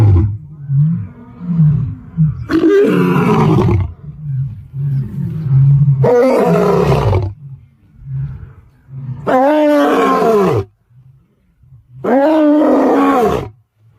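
A lion gives four deep, full-throated roars a few seconds apart, with low rumbling grunts between them.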